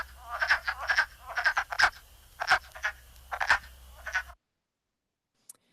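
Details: Male wood frogs (Lithobates sylvaticus) at their vernal breeding pools in spring give a chorus song of short, hoarse, duck-like clucking croaks in quick bursts.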